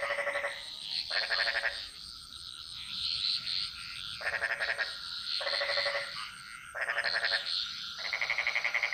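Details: Bali jungle frogs singing in chorus, repeated short rattling croak bursts every second or so, grating and pulsed, over a continuous shrill background of insects and a faint steady tone.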